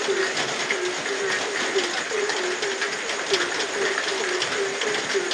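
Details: Frogs on a rainy night give a run of short, low, croaking pulses at a brisk, regular pace, partly masked by steady rain hiss.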